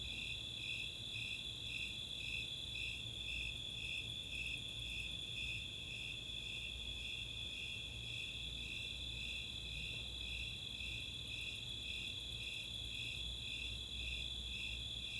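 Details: Nighttime summer chorus at Chautauqua open space in Boulder, Colorado, from Snowy and Four-spotted Tree Crickets: evenly paced high-pitched chirps, roughly two each second, ride above a constant bright trill, with a soft low-frequency hum.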